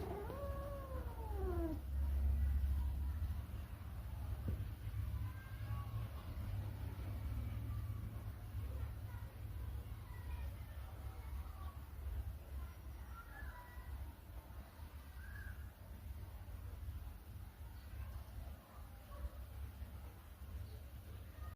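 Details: Domestic cat, playful and mischievous, gives a drawn-out falling meow with harmonics near the start, then fainter scattered mews over a heavy low rumble of background noise.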